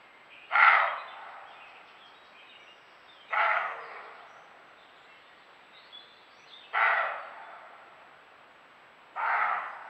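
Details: Roe deer caught on a camera trap, barking from fright or in territorial defence: four rough, dry barks about every three seconds, later ones slightly softer, each followed by a brief reverberating tail in a quiet setting.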